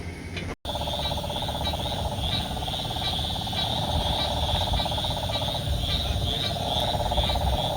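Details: Invasive cane toads calling on a mid-July 2023 night in South Florida: a steady, low, pulsing trilling drumming like a distant drumroll, with insects buzzing higher up.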